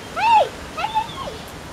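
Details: Hungarian Vizsla puppy, one of a litter born 6th October, giving two drawn-out whines, the first arching up and dropping, the second longer and wavering before falling away.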